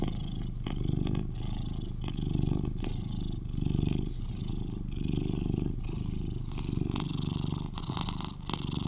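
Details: Cuddly eleven-year-old British Shorthair pet cat purring: low, throaty, unbroken rumble that pulses in slow waves roughly every one to two seconds, accompanied by light scratchy rustles and brief higher hisses of movement.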